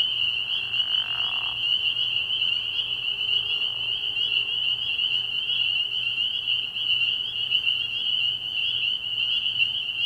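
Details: A spring peeper chorus at night by a frog pond early in the year: constant piercing peeps overlapping densely, with a short lower raspy call near the start and a quiet steady hum in the background.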